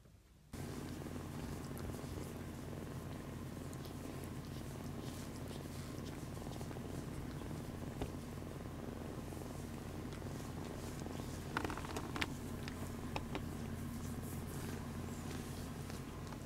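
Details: Purring from a senior male domestic cat, rescued in Japan in late spring 2015, recorded indoors in January 2023; a steady low continuous rumble throughout, with a few faint clicks and rustles.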